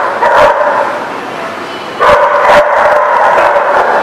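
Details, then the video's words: A group of dogs barking on 30 March 2018, sharp barks near half a second, then a loud wave of overlapping barking from two seconds onward. "The Barking Lot"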